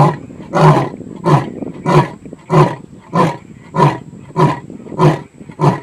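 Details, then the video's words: A lion at Tau Game Lodge, Madikwe, South Africa, gives a loud series of deep, throaty grunting roars, repeated about every two-thirds of a second. "Lion Roaring. Loud!"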